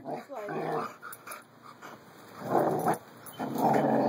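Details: Pair of puppies at play, giving gruff, throaty growls in two louder bursts after a brief spoken remark, with pauses of quieter rustling between.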